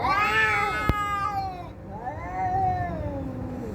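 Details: Fighting cats: a loud, harmonic yowl that rises then falls, a sharp click, then a lower, softer wavering moan that swells and fades.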